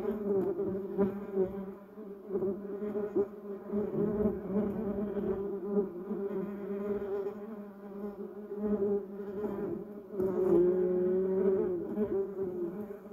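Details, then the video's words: Bumblebees humming as they work a yellow cassia tree and duranta erecta; low steady drone with strong overtones, fluctuating in volume, and near the end one bee's buzz rises slightly in pitch as it passes close. "Buzz Bumble Bees Sound"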